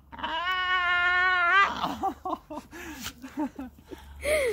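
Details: Staffordshire bull terrier screaming: a long, steady, strongly harmonic scream of about one and a half seconds, then a run of short arched yelps rising and falling, ending in a sharp, higher cry.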